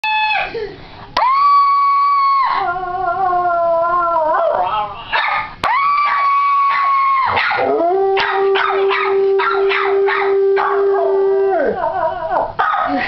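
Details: A pit bull howls along with people screaming and a mini schnauzer, making loud, sustained wailing notes that hold steady and then break off. A long, even held tone runs through the middle, with choppy yelps and voices layered on top.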